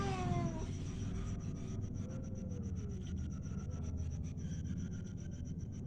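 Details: Cat giving a drawn-out meow that slides downward in pitch at the start, with a fainter curving mew about two seconds later, all over a steady low rumble and faint ticking.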